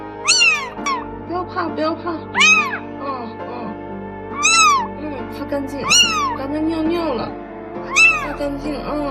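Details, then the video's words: Tiny rescued stray kitten, found soaking wet in a park, insecure and meowing repeatedly while being dried and cleaned at home; loud high rising-falling meows roughly every two seconds, over music. "Maluch czuł się niepewnie i ciągle miauczał."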